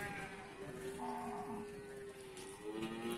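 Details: A single steady moo from cattle at the Bumiayu animal market in Indonesia, held for about two seconds, then a shorter second call, against a busy background of market noise.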